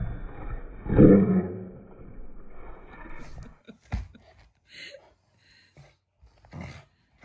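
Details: A loving household Shiba Inu gives a growl that expresses affection rather than anger. One loud, harsh rumble peaks near the start and fades into a lower growl, followed by scattered soft clicks and quiet stretches.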